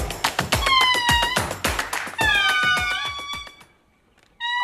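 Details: An indri, Madagascar's largest lemur, sings long, wailing, harmonic notes that glide and hold like whale song; recorded in Madagascar, with indris seen at Andasibe.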